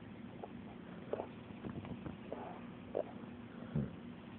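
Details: A sleeping pet dog snoring indoors: a few short, rough, low snorts spaced irregularly, about one to two seconds apart, over a steady low household hum.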